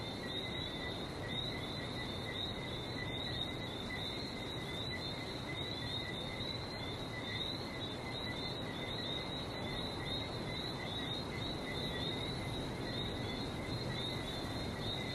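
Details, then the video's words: Night chorus of frogs in Barbados: countless high, piping chirps merge into a constant ringing trill over a continuous low wash of sea waves. "Relaxing sounds of #Barbados #frog"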